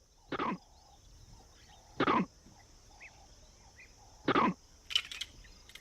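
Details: Vervet monkey in Africa giving an alarm call that means danger, climb up: three short harsh barks about two seconds apart, with a steady thin high whine throughout and a few faint chirps between.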